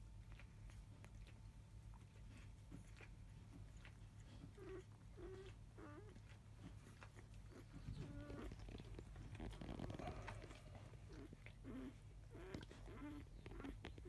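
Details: Biscuit's five-day-old field-type Labrador Retriever puppies, indoors after 3 pm. After a quiet start, a run of wavering little squeals begins. A burst of rustling and shuffling follows midway, then more short squeaks. A low hum continues throughout.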